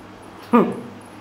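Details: Labrador Retriever chasing a mouse lets out one short whimpering yelp, a brief harmonic cry that rises then falls in under a quarter second, against a low steady room hum.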